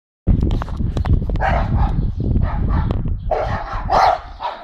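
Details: Dexter, a four-month-old blue Staffordshire Bull Terrier, barks with Milly at the neighbours' dogs; sharp mid-pitched barks come in bursts over a heavy low rumble, clustering thickly near the end.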